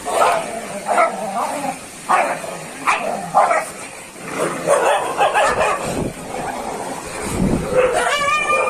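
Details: Dogs fighting: repeated short barks and snarling bursts at irregular intervals, with rough growling between them and a high whine near the end.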